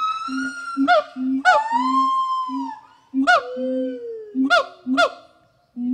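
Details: Gibbons at the WFFT rehabilitation forest in Thailand, rescued animals preparing for release, call with scattered sharp upward whoops, long sliding hoots and short low notes between them, with quiet pauses.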